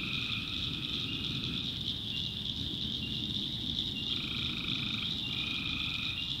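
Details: Tree frogs in a North Carolina backwoods swamp at night: two buzzy, pulsed trills, each about one and a half seconds, separated by a pause, over a steady high-pitched chorus drone and low rumble.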